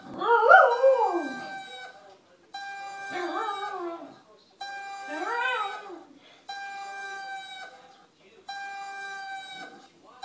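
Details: Pet dog howling in response to the whine of an RC EDF jet: a loud, wavering, rising-and-falling howl, then further howls in bursts about every two seconds, each over a steady, high, tonal engine whine.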